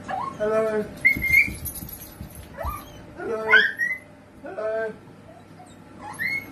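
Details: Playful miniature sausage dog letting out short, upward-sliding whimpers and squeaky yelps in uneven bursts about every second or two, separated by quieter gaps with light background rustle.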